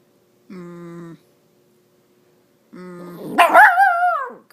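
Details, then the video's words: Female miniature Dachshund speaking during a game of fetch with an extra small tennis ball; after two flat steady tones, one loud drawn-out yelping bark that slides downward and lasts about a second. "Dachshund speaks and plays fetch"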